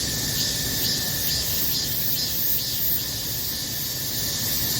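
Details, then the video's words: Cicadas singing in summer: a dense, unbroken high-pitched hiss that shimmers with a steady pulse about twice a second, plus a thin constant whine lower down. "여름매미울음이 생각나면 듣고싶어요,4분영상매미소리,여름 손님 매미"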